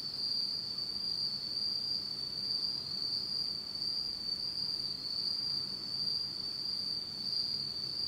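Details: Japanese autumn insects heard at night in complete darkness, a constant high, shimmering trill that pulses slightly in strength, over a low, quiet background.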